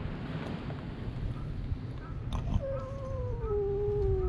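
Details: Cats fighting at a fishing port, filmed with a GoPro HERO8: after a low rumble of background noise, a long drawn-out yowl begins midway, a steady wailing tone that slowly slides downward and holds to the end.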